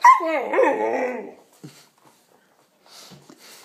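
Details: A 5-month-old Cane Corso puppy gives a single long, loud whining yelp that wavers down in pitch for over a second, then falls quiet with a few faint soft noises afterward.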